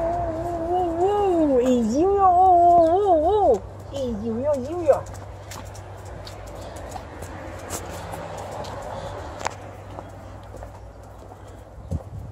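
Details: Female Alaskan Malamute welcoming her owner home with a wavering, howl-like "woo-woo", the pitch sliding up and down in smooth undulating notes for about five seconds, then breaking off into quieter household sounds.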